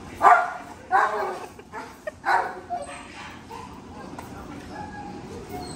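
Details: German Shepherd named Kala barking at a reunion with her owner: a few sharp, mid-pitched barks in the first two and a half seconds, then quieter yelps and whines, with a person's excited voice.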